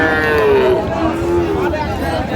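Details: Calf at the Raniganj cattle market in Dinajpur, Bangladesh, on 15 January 2025, where Friesian and cross-breed bull calves are sold. Two short, slightly falling moos come over steady crowd murmur and bargaining voices.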